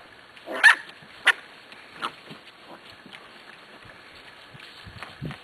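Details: Eight-week-old Corgi puppies from one litter, lively in the morning: a few short, sharp yaps spaced irregularly, the loudest near the start, then fainter scattered yips and shuffling, with a person talking nearby.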